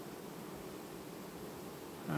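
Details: Hive of honey bees in mid-August 2019 changing queens quietly: an unbroken low buzzing drone, ending with a sudden louder knock or handling noise in the last moment.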